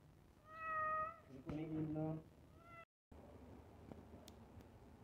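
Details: Cat waiting for iftar food, a steady meow followed by a second meow overlapping low human speech, then a brief dropout and faint room noise with clicks.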